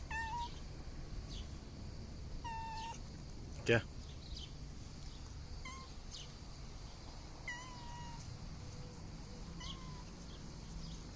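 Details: Mother cat asking for food and calling her kittens: clear, short meows repeated every couple of seconds, some falling in pitch, while a person calls "pıs pıs pıs, gel" in Turkish, with one sharp knock.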